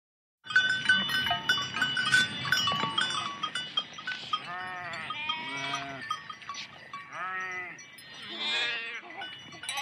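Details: Large sheep herd walking through water, several animals bleating in overlapping, wavering calls from about four seconds on, over the steady clatter and ringing of bells and splashing movement.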